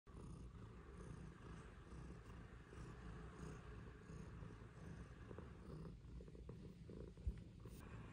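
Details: Domestic cat purring while one of two pet cats, Pizza and Luna, relaxes together in the sunshine: a steady low rumbling purr throughout, with faint soft rustling and a brief click near the end.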